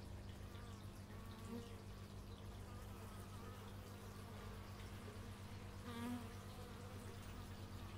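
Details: Outdoor x/y stereo recording of bees: a dense, even buzzing drone fills the whole stretch, with brief louder swells as single bees fly close, around one and a half and six seconds.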